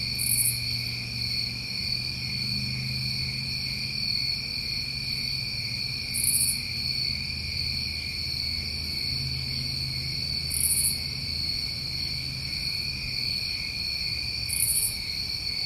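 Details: Continuous shrill trilling from summertime crickets in New England, punctuated by brief sharper pulses roughly every four seconds, above a low droning rumble.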